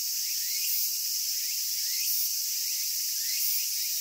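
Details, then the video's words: Cicadas singing in Japan: a dense, steady, high-pitched buzzing drone that fills the whole clip, with faint, soft rising chirps repeating underneath about every second and a half. "Cicada Sounds and Cicada Songs"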